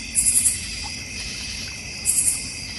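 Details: Backyard crickets in the North Georgia Mountains, near a koi pond and bird feeder. Two short bursts of three or four rapid, very high chirps open and close the clip over a continuous shimmering insect hum.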